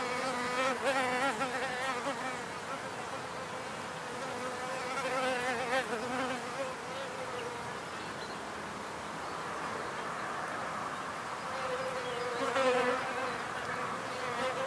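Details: Wild bees buzzing in a natural field recording, a continuous humming drone whose low wavering tones swell as single insects pass nearby, especially around five and twelve seconds, against a constant hiss of background noise.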